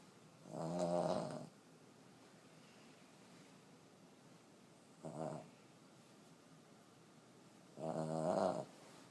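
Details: Old female Boston Terrier, aged 14, sleeping and snoring heavily: three gravelly snores over nine seconds, the middle one short and softer, the outer two longer and louder, quiet room between.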